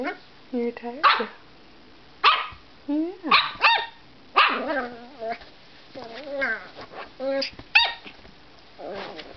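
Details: Tired, slightly grumpy pet dog named Petal making noises before a nap: a run of wavering, harmonic grumbles and whiny yowls in bursts every second or so, some sliding downward, with faint background sounds between.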